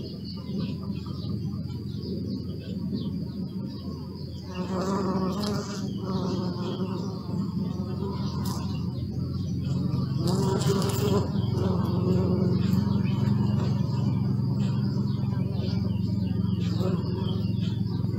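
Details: Bees recorded on a Sony Alpha 6000: a deep, continuous buzzing hum that swells louder near the middle and stays strong, with a few soft knocks and faint bird chirps in the background.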